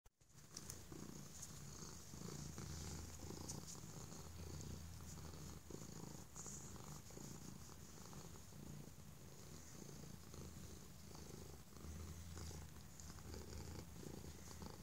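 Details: Stray cat named Holyfield, indoors and given affection and safety after apparent mistreatment, purring very loudly; a steady low rumbling drone pulses continuously through the whole stretch with faint rustling above.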